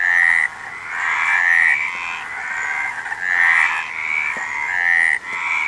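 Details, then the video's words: Many frogs croaking together, rattling trilled calls layered into a continuous loud chorus with one brief pause near the start and another near the end. "Frog Sound"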